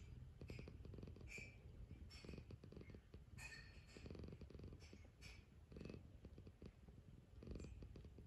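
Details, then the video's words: A cat waking up for breakfast purrs continuously, a deep throbbing rumble rising and falling in regular cycles roughly every second, with light higher rustles layered over some pulses. "Relaxing Cosy Purring Cat Waking Up For Breakfast"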